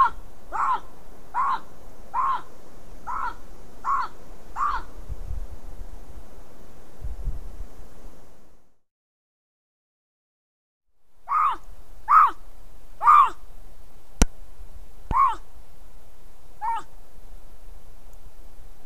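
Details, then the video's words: Bobcat calling again and again in June-July 2020: a run of six short, harsh barking notes about every half second, a silent gap, then five more spaced-out barks and a sharp click over a low rumble. "A bobcat calling and calling"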